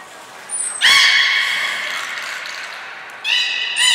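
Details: Belugas Hodoi, Taanya and Mirai in captivity at Port of Nagoya Public Aquarium, 14 March 2021, moving pools and training; a short high whistle blip, then a long, rich, harmonic squeal, followed by a second harmonic call near the end.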